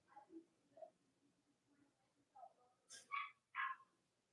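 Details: Robin and Myra's Cavalier King Charles Spaniel puppies, kept indoors, on a chilly Monday morning near Halloween in the US: soft low grumbles and faint whines build to two loud, high, sharp barks near the end.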